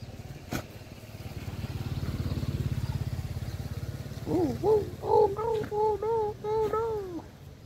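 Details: A motor engine drones first. Then stray dogs at play give a run of about seven short, rising-falling whining yips in quick succession, with faint rural background noise.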